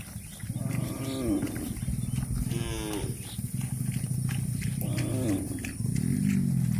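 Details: Cattle eating grass give three drawn-out, deep harmonic moos, near the start, in the middle and toward the end, over a steady low rumble and chewing-like background noise.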